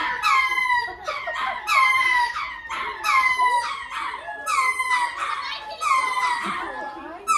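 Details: Lemurs make repeated falling, nasal wails, loud and rich in overtones, six cries in quick succession with brief gaps and some quieter chatter in between.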